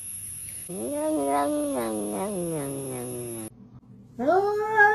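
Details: Kitten meowing: one long, loud, wavering meow slides slowly downward for nearly three seconds, then after a brief silence a second rising meow starts abruptly.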